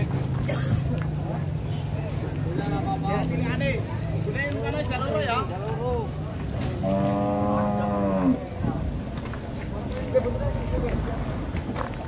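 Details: Large cattle, part of a lot of 25 head bought by a Purwokerto buyer, being loaded onto a heavy tronton truck in Indonesia; one long, steady, low moo lasting about a second and a half, over constant engine rumble and men talking nearby.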